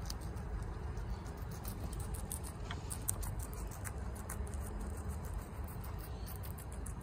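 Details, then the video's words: Chia, a female pet guinea pig, eats bok choy quickly at home: rapid, crisp crunching clicks scattered irregularly through the clip over a steady low hum. "Guinea Pig Eatings BOK CHOY Sounds"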